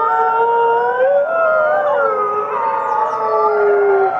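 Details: Chorus of captive gray wolves howling, overlapping drawn-out tones weaving up and down, one voice rising then gliding lower, others holding steady pitches beneath, dense and continuous.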